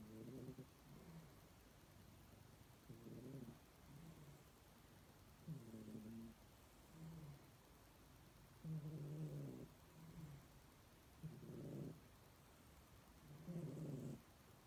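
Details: Pet cat snoring steadily: six low, rumbling harmonic snores, each about a second long, spaced two to three seconds apart in a quiet room.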